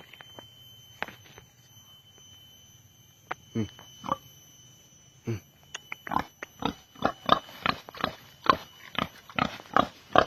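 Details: Wild boar roaming a village in Indonesia, near the road looking for food, described as tame and easy to catch; a series of short, broad grunts repeated roughly every half second in the second half, with a steady high electrical hum.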